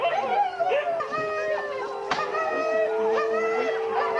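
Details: Several huskies howl together at a sled dog race weekend in the Forest of Dean, November 2001; long level howls with many bending, wavering voices layered over one another, a sharp click midway, no speech standing out.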